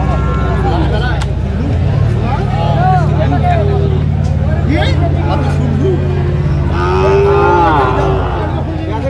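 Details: Bull calves of the Sahiwal breed at a busy Mymensingh cattle market in Bangladesh, 19 April 2025. Short moos come through a constant low vehicle drone, mixed with market babble and one clearer moo late on.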